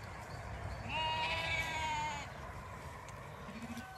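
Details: Zwartbles sheep ewes on a regenerative farm in County Kilkenny, Ireland, walk over to investigate the commotion as the flock moves fields. A single drawn-out, steady, tonal bleat lasts about a second over low rumbling background noise.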